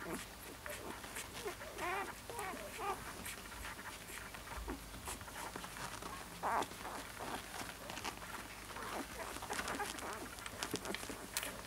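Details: Siberian Husky puppy making a run of wavering, rising-and-falling whines and little yelps, repeated with short breaks, over a steady hiss of room noise.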